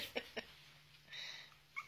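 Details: Chihuahua puppy named Muffin, about four weeks old, rescued from a puppy mill, indoors after climbing out of its crib to play with huskies: two short high yips, then a thin wavering whine and a final squeak, amid a woman's cooing voice.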